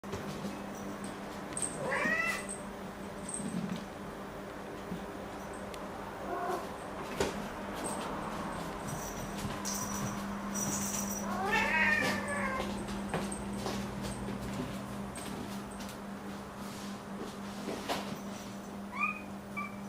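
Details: Domestic cats and a kitten meowing at half past one at night, asking for food; Momo wakes the owner by the bed and Nana follows. Several rising harmonic meows scattered through, with a steady low indoor hum.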